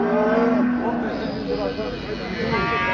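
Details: Cattle on a livestock fattening farm lowing: a steady, drawn-out low moo in the first second, then fainter lowing under men talking loudly nearby about prices and milk.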